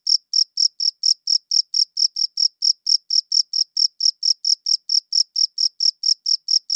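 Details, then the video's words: One cricket chirps in clear, evenly spaced bursts, a little over two per second, each pulse high and thin with a faint upper band; the background is silent. "Cricket Chirping Sounds"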